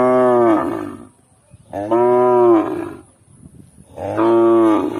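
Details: Cow. Three drawn-out moos from a cow follow one another about every two seconds. Each is deep and harmonic-rich, holding a level pitch before trailing off, with quiet pauses between.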